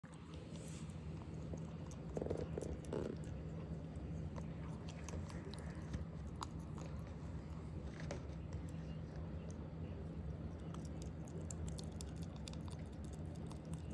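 A ferret chewing food, with soft crunches and clicks over a steady low hum.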